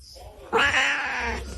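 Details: Pet cat in a humorous compilation letting out one loud, drawn-out, harsh yowl lasting close to a second, heard indoors after a person complains about chores.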